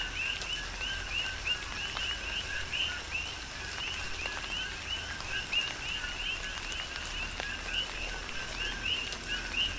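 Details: Chorus of coqui frogs during a tropical rain shower on the Big Island of Hawaii: many overlapping short rising whistled notes, densely repeated, over steady rain hiss and scattered raindrop ticks.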